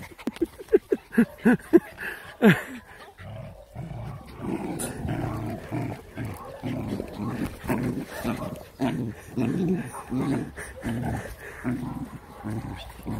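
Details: A Jack Russell terrier playing with puppies gives a quick burst of sharp yips, then a long run of rhythmic, throaty growls.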